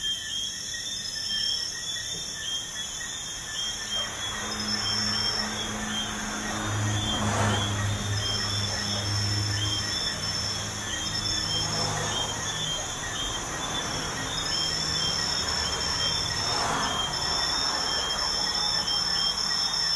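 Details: Night crickets near a busy highway keep up a continuous high-pitched pulsing drone, while vehicles rush past with broad whooshing swells, one especially loud around the middle.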